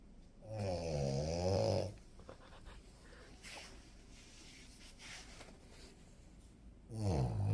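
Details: Blanc, a French Bulldog, snoring through a sleepy daytime nap indoors. One long, deep, rumbling snore lasts over a second, followed by quiet breathing, then another snore begins at the end.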